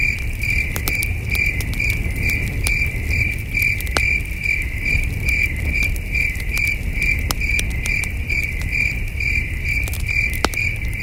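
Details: Crickets heard at night while camping under a starlit sky near a campfire: continuous high chirps in a steady rhythm of about two a second, with frequent crackling pops from the fire and a constant low rumble underneath.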